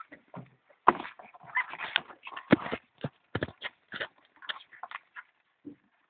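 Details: European polecat and ferret kits feeding, giving a burst of short scratchy squeaks and clicks, irregular and overlapping, in brief clusters over six seconds.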